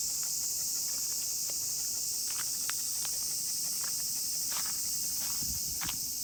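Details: Massed cicadas singing while a miniature pinscher is walked: an even, sizzling high drone throughout, broken only by sharper footstep clicks and a few brief taps.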